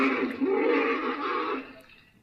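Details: An angry African elephant at a waterhole in a herd of about 50, on 8 September 2023, pushes another individual away, possibly a young bull. It gives a harsh, brassy blast that holds for over a second, then fades.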